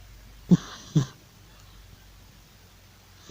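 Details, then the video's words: Georgie, an old male cat, sleeping and snoring loudly: two short, low, rasping snorts half a second apart, then a quiet pause before a third snort at the end, in a small quiet room. "An old cat Georgie is loudly snoring and probably chasing mice in his sleep"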